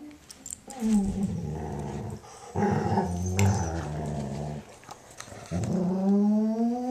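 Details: A female German Shorthaired Pointer makes low, drawn-out moaning grumbles and a rising whine, her happy noises while her Weimaraner housemate cleans her ear.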